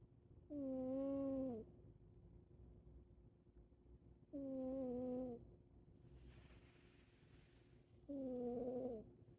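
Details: Siamese cat asleep, giving steady, even whistling snores. Three breaths sound about every four seconds, each a humming tone holding level for roughly a second before dipping away. A faint soft hiss comes between them.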